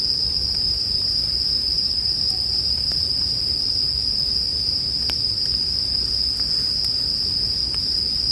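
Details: Bell cricket keeps up a constant high, tinkling tone, joined by sparse crackles and pops from a campfire and a dull low-frequency background rumble.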